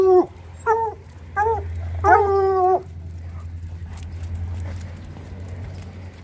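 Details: Bluetick Coonhounds being walked through town give three short, mellow bays, then a longer drawn-out howl over a low rumble.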